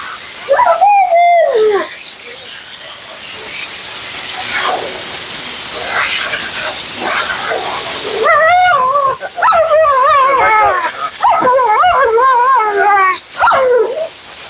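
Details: Talkative female Husky Mila during grooming and drying, a sharp yodelling yowl at the start, then a quieter stretch of blower noise, followed by a run of warbling, up-and-down talking yowls in quick succession.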